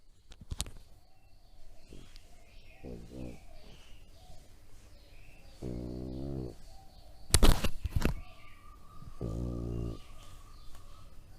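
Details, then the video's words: Three-year-old male French Bulldog making funny pig-like grunts: three buzzy, throaty bursts, the longer ones about a second each, with sharp knocks and background clatter between them. "Funny Sounds French Bulldog"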